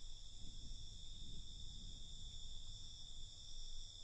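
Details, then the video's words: Brief stretch of night cricket sound: a sustained, steady high trilling drone in layered pitches over a dull low-frequency rumble. "Night Cricket Sound"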